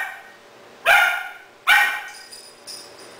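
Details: Three-month-old Doberman puppy Rahab, filmed in Cebu City, Philippines, on October 12, 2009, reacts to a second-hand stuffed toy dog as if it were real: two loud, abrupt barks under a second apart, followed by quieter faint rustling.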